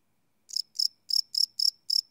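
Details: After a brief silence, a cricket at night starts up with six high, ringing chirps spaced roughly a quarter second apart, recorded live on a Sony PCM D100 field recorder with a clean, quiet background.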